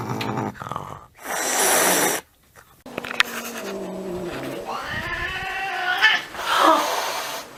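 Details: A domestic cat, described as cute, gives a sharp breathy hiss lasting about a second, then drawn-out low growling yowls that rise and sag, with another short hiss near the end.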